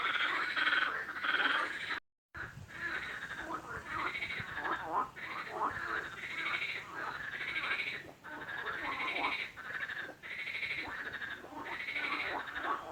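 Frogs calling in a dense, overlapping chorus of rapid nasal croaks.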